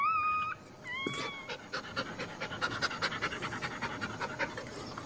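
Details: Pregnant female Cairn Terrier in labor, whelping and expecting five puppies: quick rhythmic breathy panting, several short squeaky whines at the start.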